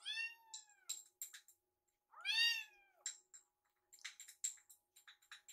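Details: Two drawn-out, high kitten meows with rich harmonics, about two seconds apart, come from rescued foster kittens Yuki and Piyo waiting indoors for food, followed by a flurry of clicks and small rustling taps.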